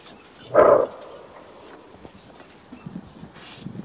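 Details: Greater kudu, Kruger National Park, sounding one loud, coarse bark as an alarm, followed by soft rustling and light scuffing sounds, with a faint steady high-pitched insect drone throughout.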